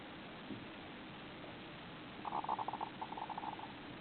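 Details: Pet hamster, described as mischievous, snoring while sleeping face down with its face pushed into something: a rapid train of buzzy mid-pitched pulses in two bursts over about a second and a half, above a steady faint hiss.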